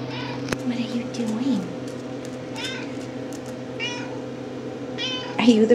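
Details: RagaMuffin kittens of the Shrek litter, 10.5 weeks old, indoors and just roused from a nap; several short, bright meows with stacked harmonics near the middle and end, under a woman's soft talking and steady room hum.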